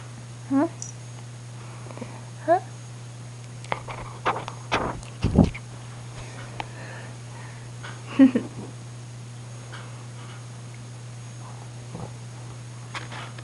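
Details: Indoors at night, the cat Rain gives short mewing calls at irregular intervals, several seconds apart, amid thumps, rustling and a person coaxing it to come over, with a constant low hum.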